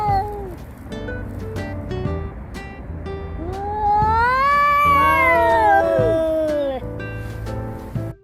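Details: Stray domestic cats facing off in a territorial dispute give a threatening 'woo-ah' call: a long, drawn-out wavering wail that rises then slowly falls over about three seconds, with upbeat background music throughout.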